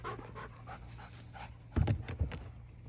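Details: Belgian Malinois panting during a training session, soft rhythmic breaths with a low steady hum beneath and a few louder thumps near the end; a handler gives short commands around it.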